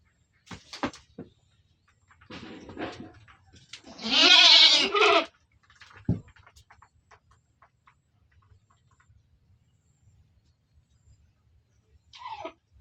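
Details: Penned goat giving one long, loud, quavering bleat of about a second, with rich stacked harmonics, framed by quieter clatter and shuffling noises in the enclosure.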